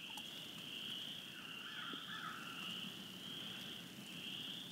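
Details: Spring peepers calling together around a pine island at the McCready Reserve, their high piping notes blending into a continuous shrill wall of sound, with a lower trilling voice in places and faint outdoor hum beneath.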